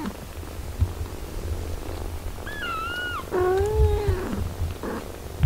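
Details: A mother cat tends her eight-day-old kittens while nursing them. Two clear mews stand out, the first thin and slightly falling, the second longer and lower, above a soft continuous purr-like rumble.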